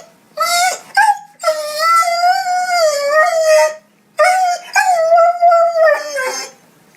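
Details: Puppy crying, long tonal whines near mid pitch with rich harmonics, wavering and slightly falling, in three drawn-out bouts separated by short gaps, with brief yips between; clean recording without other sounds.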